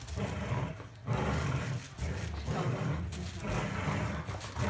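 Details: Golden Retrievers Winston and Roscoe in a tug-of-war game give a steady, low, rough growl. It swells in three or four surges, with short dips in between.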